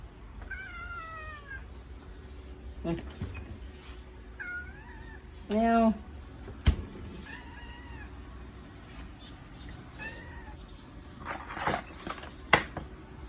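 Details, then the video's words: Domestic cat crying after the father and older brother as they leave, refusing to get down from the vehicle; several drawn-out, slightly falling meows spread across the recording, with speech, music and knocks in the background. "มีเด็กงอแง้ร้องตามพ่อกับพี่ #ไม่ยอมลงจากรถ #แมวชอบนั่งรถ"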